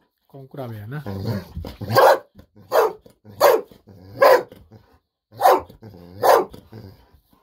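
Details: A voice speaks briefly, then Golden Retriever Bis, overjoyed at the prospect of treats, lets out a string of loud, evenly spaced barks indoors, about one a second.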